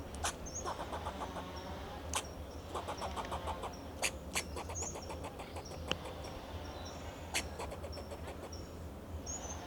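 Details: In Del Monte Forest, California, a fox squirrel perched on a Monterey pine protects its territory with alarm calls, repeated bursts of quick, harsh chucking pulses punctuated by loud barks, while small birds whistle and distant traffic hums.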